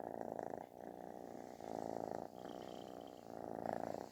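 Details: Kitten purring loudly like snoring while seeking affection: a rough, pulsing purr in long breaths of about a second each, broken by short pauses, with a faint higher tone near the middle.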